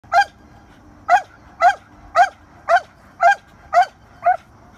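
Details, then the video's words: A dog barks at a squirrel in short, sharp bursts, about two each second, with no other clear sounds. "Dog barking at squirrel"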